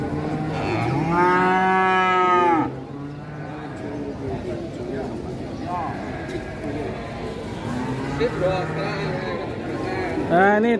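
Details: Rampaging calf in Indonesia gives a loud, strained moo lasting over two seconds, followed by quieter, shorter bellows later on, over background music and human voices.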